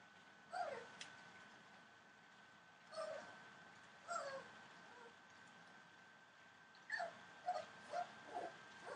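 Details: Entlebucher Mountain Dog puppies, 24 days old, from a litter born 28 December 2013; soft, short whimpering squeaks with falling pitch come in scattered bursts, a quick cluster near the end, over a faint steady hum.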